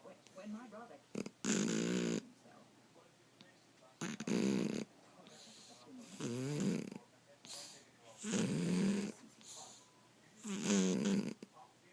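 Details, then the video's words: A 13-year-old female cat wearing clothes, asleep in a cat sleeping bag, snoring loudly: harsh, rasping snores with a buzzy tone, repeating about every two to two and a half seconds, separated by quiet pauses. "Worlds loudest snoring cat!"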